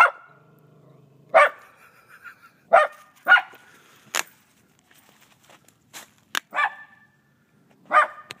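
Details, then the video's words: A pet dog barking at a snowman, giving single sharp barks spaced irregularly over several seconds, some with a brief whine or yip between them; quiet background otherwise. "Barking at Snowman"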